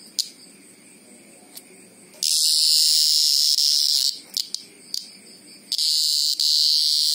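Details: Greengrocer cicada screaming: a few short clicks of buzz give way to a loud, continuous high-pitched drone lasting nearly two seconds, then choppy bursts and another sustained scream.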